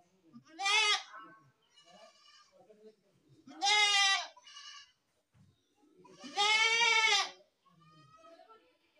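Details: Three loud quavering goat bleats about three seconds apart, each followed by fainter answering bleats from other goats, over soft background noise.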